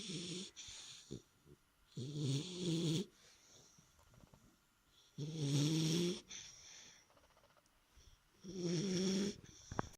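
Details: Three-month-old puppy asleep indoors, snoring: four long rasping, throaty breaths, each about a second long, spaced roughly every three seconds, with quiet room noise between them.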